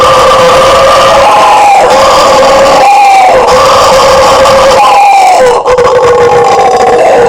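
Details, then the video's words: Guariba, or howler monkey, from Brazil giving a sustained, grinding roar in surges of one to two seconds, each ending with a short downward slide before the chorus swells again. "SOM DO MACACO BUGIO, Barulho de Bugio!"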